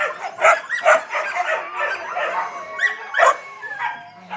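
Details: Fluffy Yakutian Laika puppies whining and yipping, sharp squeaks mixed with rising and falling whimpers, several pups vocalising together in irregular bursts.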